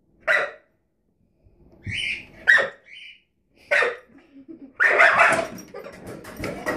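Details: Rosie, a puppy, barks at the drawer under the oven: sharp single barks at uneven intervals with quiet gaps, a few short squeaky whines between, and a busier burst of barking near the end.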